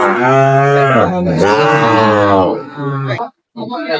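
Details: Sahiwal bull calf at Raniganj cattle market, Jamalpur, Bangladesh, on 22 May 2025: a long, loud, harmonic moo for about two and a half seconds, a shorter lower moo after, then brief voices of men at the market.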